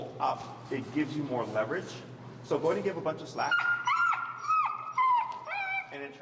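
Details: Finnegan, an extremely vocal feral husky, protests during heel training in Chicago as a man speaks at first. Then come long wavering whining howls, held tones that rise and fall, repeated over several seconds.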